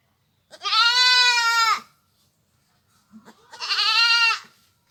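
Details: A pair of long, quavering bleats from a village goat, each over a second long and a couple of seconds apart, over a faint low background hum.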